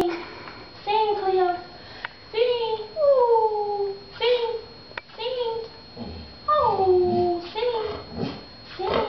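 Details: Pet dog Cleo, a female, vocalizing on command to speak and sing: several drawn-out tonal yowls, each sliding downward in pitch, separated by short gaps, with a person's voice giving commands in between.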